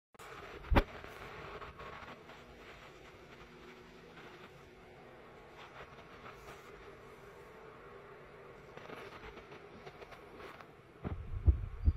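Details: Quiet indoor room noise with a low rumble, a single thump and some handling sounds, but no animal voice. No calls or vocalizations stand out anywhere in the recording.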